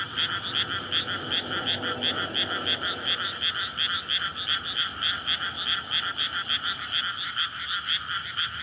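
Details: Night chorus of frogs calling for courtship in a water-filled rice field in May, near a road; rapid pulsed croaking from many frogs merges into a continuous ringing wall, several pulses each second, faint low hum underneath.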